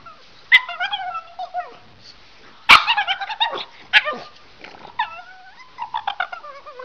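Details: Pug making varied whining, yodel-like vocal sounds that people call talking, with rising and falling whines and short yelps in bursts across about seven seconds, a sharp click partway through.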